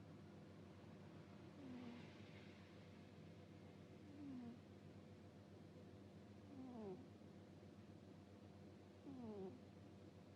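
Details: Sleeping cat snoring with soft 'puu-puu' sounds: short, nasal, whistly squeaks that slide downward, one with each breath, roughly every two and a half seconds over a steady low indoor hum.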